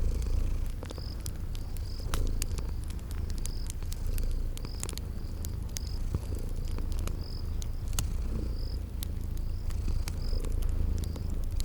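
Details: Deep, even purr of sleeping kittens rolling on beneath crackling firewood, while a high cricket-like chirp repeats about twice a second in a spring garden setting.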